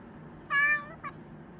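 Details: Pet Chinchilla cat named Ponta gives one clear, bright meow, rising and then slowly falling, followed by a short chirp-like second note against a faint indoor hum.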